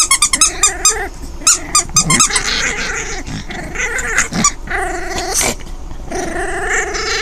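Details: Orphaned five-week-old foster puppy Delia at play with her toys; quick squeaky bursts at the start, then drawn-out puppy growls alternating with toy squeaks and rustling.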